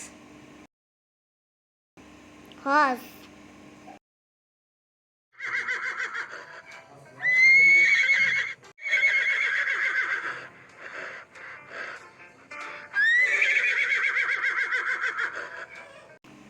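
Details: Horse neighing: a loud, quavering whinny in several long shaky bursts with a bright, wavering tone, after a short spoken word and brief silences.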